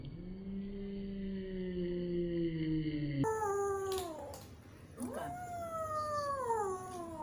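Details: Rescued cat taken from a canal, meowing when wanting something like food or attention; long drawn-out wavering meows, a steady falling one then several bending downward in pitch, with faint background noise.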